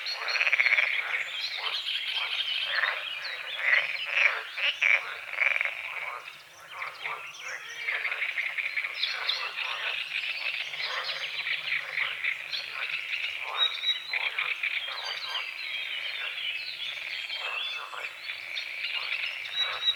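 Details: Many frogs calling at dawn over a small lake on the edge of a forest: a thick, rasping croak chorus with strong bursts at the start, a short lull, then steady overlapping pulses and light bird chirps.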